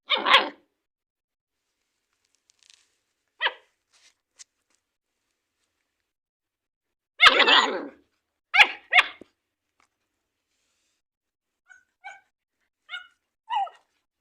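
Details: German Shepherd puppies barking while playing a play-biting game indoors: a sharp burst of barks, a louder cluster of harsh barks around the middle, then several short, thin, higher yips spaced about a second apart toward the end, with silence between.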